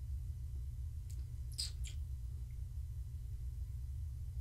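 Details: Gaia, a pregnant long-haired tabby house cat, purrs while being petted indoors during an evening check on her unborn kittens; a steady, low, throbbing rumble runs the whole time, broken by a few brief, sharp rustles and clicks near the middle.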